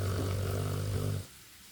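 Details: A pet dog snoring heavily: one long, deep, droning snore lasting just over a second, steady and rumbling, then it cuts off into near silence.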